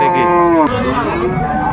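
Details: A cow with her calf at Amborhat cattle market, Dinajpur, Bangladesh, 17 January 2025, gives one short, tonal moo that slides downward and ends abruptly, with market voices in the background.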